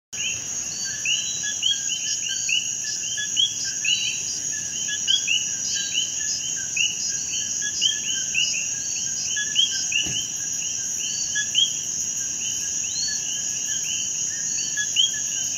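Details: Common coquí frogs in Puerto Rico calling as a dense chorus: many overlapping short chirps and upswept whistled notes, with a steady high insect drone running underneath throughout.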